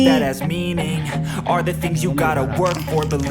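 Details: Hip hop music with rapped vocals and a steady beat, no animal voice heard.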